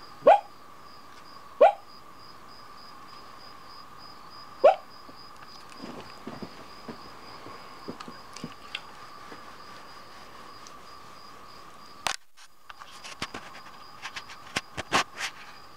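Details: Dog sleep-barking at night while fast asleep at the foot of a bed in the mountains: three soft muffled woofs early on, then rustling and scattered clicks over a constant hum.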